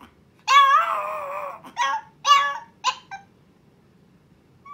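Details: Young Chihuahua Milk howling for the first time, eager to see her owner now; one long wavering howl followed by a few short broken yips and whimpers indoors.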